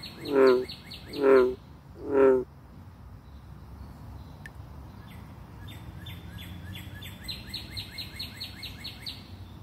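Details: Bullfrogs vocalizing: three deep, resonant, drawn-out croaks in the first few seconds, each about half a second long and spaced under a second apart, followed by a quieter run of faint, high, rapidly repeated chirping notes.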